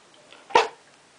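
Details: A Berger Picard puppy indoors, asked to speak louder, answers with a single soft, short bark.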